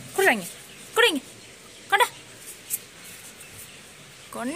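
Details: German Shepherd puppy giving high falling whines, each a quick downward slide, repeated about once a second for three cries, then a pause before a fourth, indoors in a small room.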